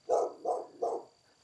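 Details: Family dog in an old, largely abandoned mountain village in Hunan, China, barking as visitors approach: three quick, evenly spaced barks within one second, with a faint steady whine in the background.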